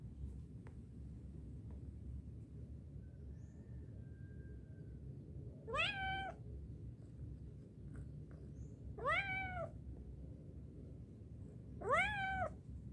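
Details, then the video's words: Three loud, rising-then-falling meows spaced about three seconds apart come from a cat that found going up easy but coming down frightening; quiet low background hum throughout. "Going up is easy but going down is scary"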